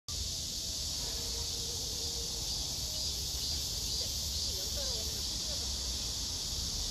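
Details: Black cicadas gathered in a vertical row, a large female in the middle with smaller cicadas above and below; a steady, dense buzzing hiss fills the air without pause, with faint low tonal traces beneath.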